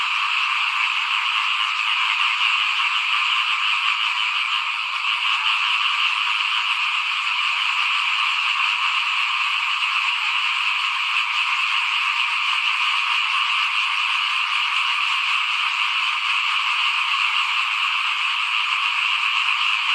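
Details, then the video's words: In 2021, while rice was being sown, small frogs chorus in front of a house. A thick, continuous wall of overlapping croaking and trilling holds steady for the whole stretch, without gaps, voices or other animals. "ฟินๆกับเสียงเขียดร้องหน้าบ้าน ตอนหว่านข้าวเตรียมปลูกปี2021"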